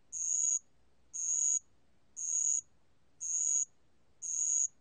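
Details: Spotted bell cricket, recorded in 2020 by the National Institute of Biological Resources: bright, tinny chirps of about half a second, repeated evenly once per second, five in a row.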